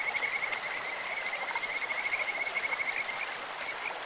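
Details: Kajika frog in a clear stream: one high, sweet, rapidly pulsed trill carries almost unbroken through the whole stretch, like a bird or insect, above the even rush of water.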